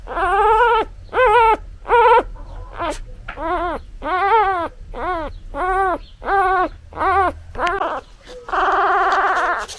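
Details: Newborn puppy calling for its mother with quick, insistent whimpering cries. The short, arched yelps come in an irregular stream, slightly faster than one per second, and end in one longer, steadier wail. The background is quiet apart from a low hum.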